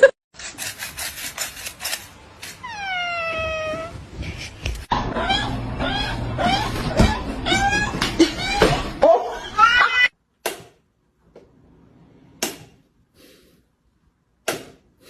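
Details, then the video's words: Pet cat talking with its owner at home: one long, drawn-out meow that slides downward in pitch, surrounded by the owner's speech, laughter, background music and scattered clicks and thumps. "Cute Cats Talking with their Owners"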